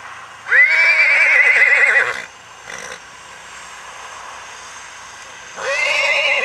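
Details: Icelandic horse foal from Geitaskarð, recorded 21 July 2012, gives a loud, wavering whinny lasting about a second and a half with rich harmonics, then a quiet stretch with faint sounds before a second whinny begins near the end.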